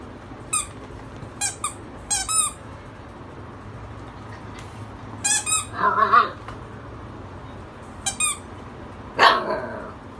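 Siberian Husky giving short, wavering barking howls between sharp, repeated squeaks of a toy ball.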